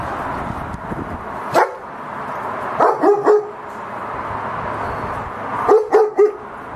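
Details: Home security German Shepherd from Cambodia, one of two kept together, barks in short sets of two or three against a heavy steady rushing noise, the bursts spaced a few seconds apart.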